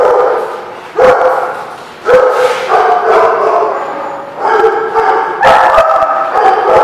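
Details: Several dogs at The Barking Lot, recorded 5 December 2016, bark in overlapping bursts roughly once a second, with sustained yipping tones between loud sharp barks.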